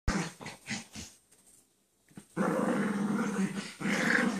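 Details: Dog playing with a companion dog while lying down, making growling play noises: a few short low grumbles, a pause of near silence, then longer continuous rough growls.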